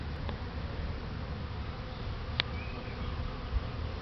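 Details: Buckfast honey bees in a garden; steady low droning buzz of many bees throughout, with a brief click and a faint passing whine.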